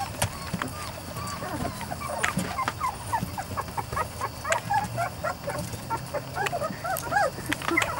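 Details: ["Biscuit's litter of Weimaraner and Weimaraner x Vizsla puppies at 3-4 weeks: a busy chorus of brief, high squeaks and yips, densely overlapping, with faint low background noise."]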